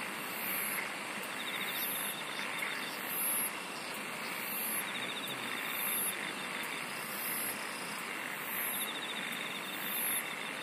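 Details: Insects singing in a dense chorus: shrill, very high pulsed trills come in bursts about every 1.3 seconds over a steady, rasping, lower buzz, with a faint pulsing whirr in between.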